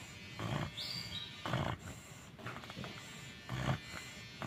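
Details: Bagong the American Bully sound asleep, giving deep, grunting snores about once a second, each a coarse rasping pulse with a faint rumble beneath.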